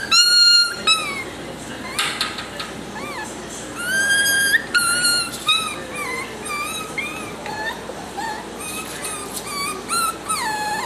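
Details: Young male salt-and-pepper Miniature Schnauzer, a clingy pup, whines persistently: squeaky, wavering whimpers rising and falling in pitch, coming in rapid irregular bursts, some sharper yips among them, faint background sound underneath.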